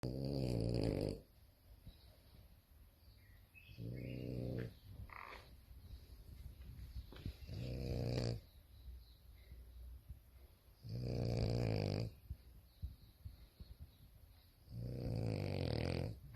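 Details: A female French Bulldog, asleep with her toy after a tiring day, snores in deep, rumbling bursts, each breath lasting about a second.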